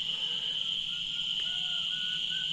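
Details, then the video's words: Crickets keep up a steady, high-pitched ringing trill in an Indian forest at night, with a peacock calling and a leopard reportedly nearby. "पीकॉक बोल रहा है, कहीं झिंगुर बोल रहे हैं।"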